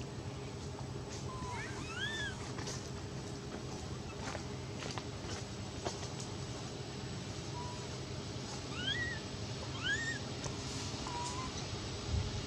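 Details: Scared domestic cat begging for milk gives repeated arched, whining mews, about four of them in two clusters near two and nine to eleven seconds, each rising and falling, over constant low background hum with faint clicks.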